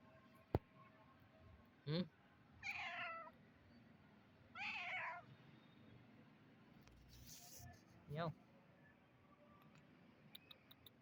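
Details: Kitten meowing in a series of short, high, harmonic meows, about four across the stretch, each rising then falling, with quiet gaps and a sharp click early on.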